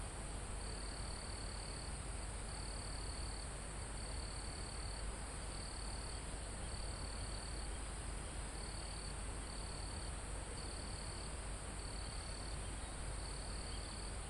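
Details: Crickets calling in a calm mountain forest close to the top, live recording: around ten regular high trill pulses, each under a second, repeated steadily with brief pauses, beneath a constant wash of wind on foliage.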